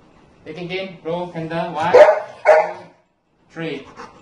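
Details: A Golden Retriever sings along to his birthday song, howling in wavering, drawn-out notes that break into short yodelling bursts alongside people singing "Happy Birthday".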